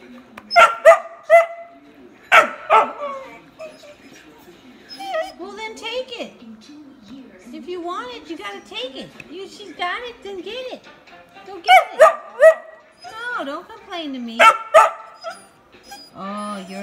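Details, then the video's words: Vocal whippet pup complaining that he has no toy, mixing sharp yip bursts with long, wavering, rising and falling whines. "Whippet pup complaining he doesn’t have a toy"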